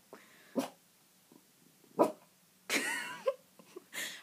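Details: Indoors, a Cavalier King Charles Spaniel puppy barks at a window, giving a few short, sharp barks and yips, then a longer whining, wavering yelp, ending in softer huffs.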